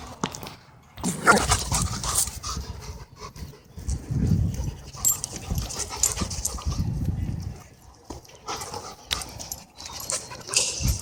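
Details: Dogs scuffling in an aggressive battle at a dog park. Rough, low growling and heavy panting come in noisy bursts, mixed with scuffling and handling sounds.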